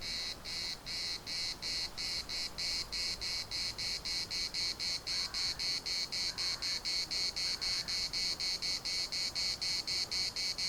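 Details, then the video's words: Cicadas at the municipal park in Larnaca, Cyprus, sing a piercing rhythmic buzz chopped into quick regular pulses, with faint soft calls in the middle range around six to eight seconds. "CICADAS at the municipal Park Larnaca"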